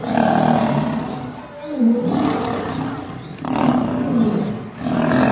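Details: Growling roars from a fight in which a group of lionesses attack and kill a male lion at Gir Forest: drawn-out harsh snarls rising and falling in three or four waves.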